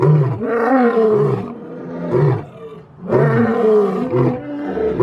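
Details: A lion roars in two long, deep, groaning bursts, each swelling and then fading.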